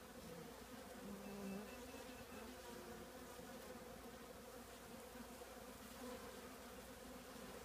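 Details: Honey bee colony living in an old trash can: a steady, dense droning hum from many bees with a low fundamental and overtone bands, swelling slightly around the second and a half, with bees passing close now and then.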